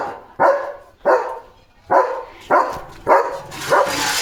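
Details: A German Shepherd barks on evening guard duty at a farm, defending his area; six strong, rough barks spaced about every 0.6 seconds, the last one blurred by a hiss of background noise.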